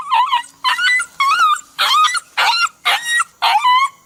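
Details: Crying puppy giving repeated wavering whimpers, each under half a second, in a steady run of about seven yelps separated by brief pauses.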